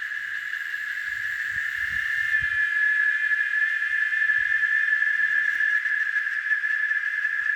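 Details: Cicada singing in nature near Varginha, Minas Gerais, Brazil: a shrill, unbroken buzzing drone held at one steady pitch, growing slightly louder after two seconds, with a few soft low thumps early on.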